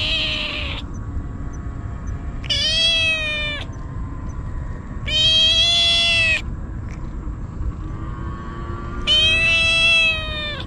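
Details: Stray kitten crying desperately and continuously while eagerly eating cat treats: loud, harmonic-rich meows, each one to one and a half seconds long, repeated roughly every three seconds over low rumbling background noise.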